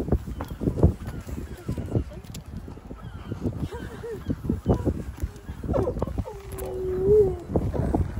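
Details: Siberian Husky out on a walk, 'talking' to other dogs: after several seconds of crunching footsteps, one drawn-out, level, slightly wavering moan-like vocalization lasting about a second, with footsteps continuing underneath.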